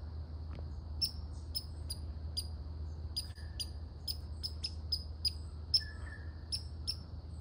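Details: Barking red squirrel giving crisp, high clicking notes at uneven intervals, some doubled, plus one brief faint squeak, set against a constant low-frequency hum.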